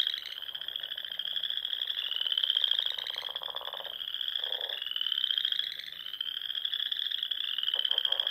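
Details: Frogs singing at dusk in spring among the rolling dunes and small lakes of the Nebraska Sandhills; a dense, continuous trilling chorus around 3–4k swells and fades in waves roughly every two to three seconds, with lower pulsed croaks beneath.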